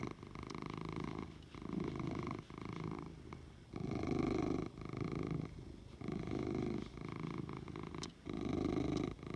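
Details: Oliver the cat purrs contentedly in a quiet room, his low vibrating rumble pulsing in alternating loud and soft phases roughly every second and a half, with a faint click or two in the background.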